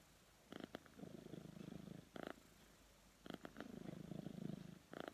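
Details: Sleeping cat snoring indoors: low, raspy, fluttering rumbles in long breaths, cycling roughly every three seconds, with brief sharp clicky catches between each breath.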